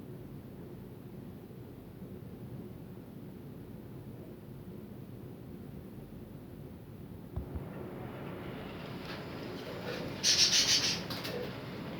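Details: Low rumbling engine or wind noise with a brief hissy burst near the end, and no clear animal calls.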